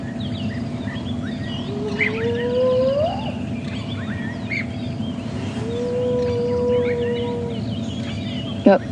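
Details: A female spotted hyena at Djuma Game Reserve, on a morning safari drive on 11 January 2016, gives long, hollow, high-pitched whoops that slide upward, a contact call, over an idling engine and birdsong; her cubs react.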